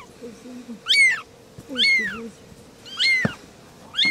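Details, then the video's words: Three little kittens talking, a series of high, arching harmonic meows roughly every second, rising then falling, with lower murmuring voices beneath and a steady low hum. "Three little kittens are talking"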